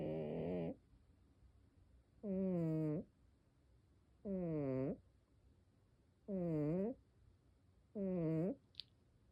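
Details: Sleeping cat snoring: five tonal, groaning breaths, each falling then levelling in pitch, roughly every two seconds with quiet gaps between, ending with a brief sharp click.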